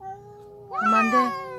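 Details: Feral cat (Felis catus): one of two ginger stray cats in a tense territorial standoff gives a drawn-out, wavering howling yowl at its rival.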